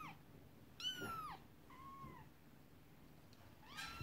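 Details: Domestic cats, an upset mother cat and kittens playing with a toy horse-drawn carriage; one loud, falling meow, then a shorter, quieter one, and a third rising call cut off at the end, with low room noise.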